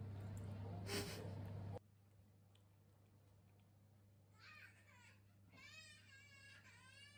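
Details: Rescue cat meowing over treats indoors: a short burst of human voice and a thump at the start, then quiet room hum, then from the middle onward a run of wavering, whiny meows with rising and falling pitch.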